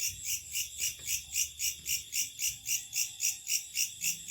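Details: Night-time locusts producing a shrill, high buzzing that swells and fades in even throbs, roughly four every second, over a quiet low background.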